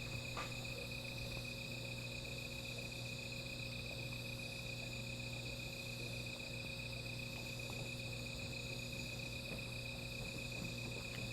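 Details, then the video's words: Insects calling at night beside a small fire: a steady, unbroken high-pitched trill with fainter shimmering layers above it, over a constant low hum and scattered soft crackling ticks. "Sound of Insects"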